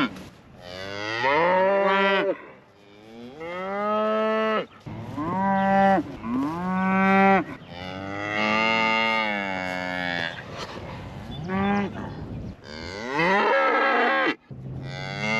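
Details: Highland cattle in Scotland, vocal while a calf has gotten out, keep up near-continuous mooing: many overlapping rich, rising-then-falling bellows from several animals, barely a pause in fifteen seconds.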